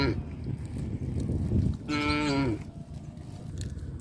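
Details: Cows mooing: a single drawn-out, tonal moo that falls slightly in pitch near its end, over a steady low rumbling background.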